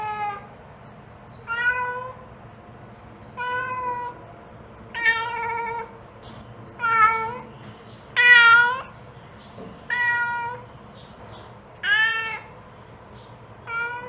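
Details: Repeated meowing of a mother cat calling her kitten, about nine calls roughly every one and a half seconds, some rising and wavering, one louder drawn-out cry near the middle, over a quiet background hum.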